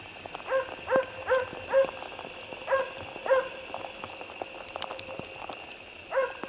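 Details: Barking Jämthund on a moose hunt: bright, ringing barks come in a quick run of four, then a pair, then silence for nearly three seconds before a final bark, with light background crackle.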